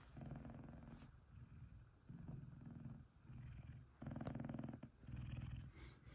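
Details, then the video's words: Happy purr of Kumba, a big F2 Savannah cat, while cuddling his companion Taj: low, throbbing rumble in pulses about a second long, separated by brief quiet gaps, with a faint high squeak near the end. "Big F2 Savannah Cats Kumba And Taj Cuddling And Purring"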